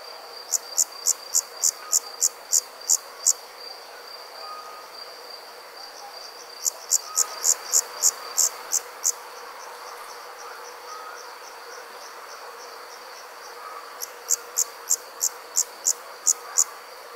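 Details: Crickets chirping at night: three bursts of rapid, high, evenly pulsed chirps separated by quieter stretches, over a steady high-pitched hum and faint background noise.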